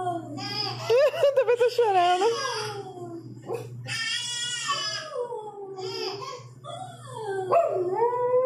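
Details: Shih Tzu dog howling while watching TV; wavering, yodelling howls with rapid pitch wobbles, several long rising and falling wails broken by short pauses, steady low hum behind.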